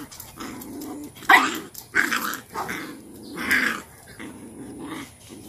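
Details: Cane Corso mother named Cashmere disciplining her most dominant female puppy, laying her down in a submission posture; rough growling bursts with snarling peaks at irregular intervals, about one every two seconds.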